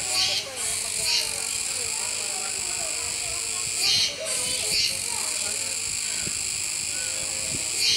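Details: Continuous high, grating buzz of Kuroiwa cicadas at an Okinawa zoo park, 16 October 2021, with brief louder pulses near the start and middle; quiet background murmur of people.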